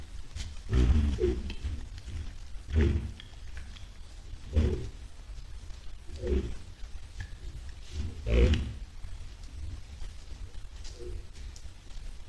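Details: Wild white-lipped peccaries moving toward a salt lick, recorded 10 July 2022: low husky grunts and short growls spaced roughly every two seconds, with faint higher chirps in the background.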